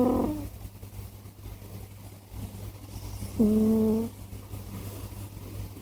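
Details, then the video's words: Scottish Fold cat snoring indoors: two steady, buzzy nasal tones about three seconds apart, each lasting under a second and ending with a slight downward slide, over a low constant hum. "Почему мой котик так храпит?/Why does my cat snore so much?"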